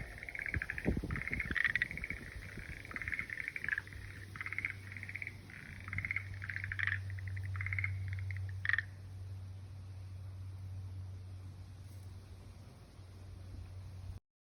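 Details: Frog singing: a series of buzzy, rapidly pulsed trills in short bursts over the first nine seconds, then fading, over a steady low hum.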